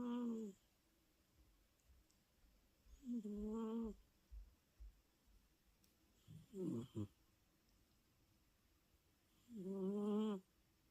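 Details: Indoor recording of Louis, a sleeping British Shorthair cat, snoring loudly: rich, buzzy, tonal snores about every three seconds, one breaking into a rough, wavering rasp, with soft room noise between breaths.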